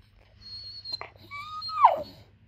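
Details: Four-month-old Cane Corso x Bullmastiff puppy Summer, seemingly wanting something, gives a thin high whine, then a louder tonal whine that holds steady and drops sharply at its end, indoors while someone asks her what she wants.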